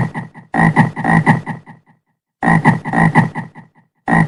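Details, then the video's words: Frog giving two long bursts of fast, rattling croaks, low and grating, each burst trailing off quieter before a brief pause and the start of another. "SOM DE RÃ - BARULHO DE RÃ"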